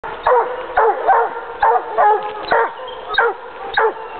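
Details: Hunting dog on a leash tracking wild boar, arriving at the boars' bedding site: sharp, rapid barks repeated roughly every half second, steady and insistent.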